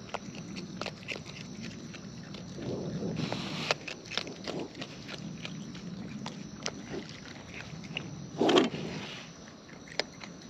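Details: Raccoons in the wild feeding at close range: irregular crisp snaps and bites spaced through a constant hiss, with a louder crunching burst late in the recording.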